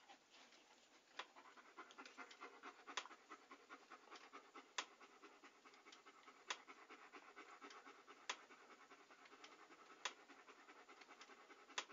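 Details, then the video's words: A dog pants in rapid, airy huffs, about thirty-five audible breath pulses a minute. Crisp tongue or mouth clicks are scattered through it, with nothing else in the background. "A Panting Dog ASMR"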